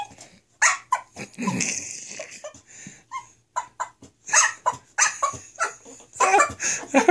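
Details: English Bulldog at home, upset about being left alone while her owners were in the office; mixed whines, yelps and grumbling bursts, uneven and rapid, with broadband noisy yaps.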